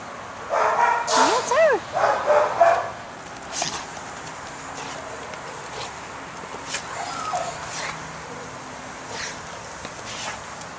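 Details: Pet dog excited over its toys indoors, giving a quick burst of short yips and barks in the first three seconds, one rising whining squeal among them, then quiet apart from faint background noise; a person talks to the dog nearby.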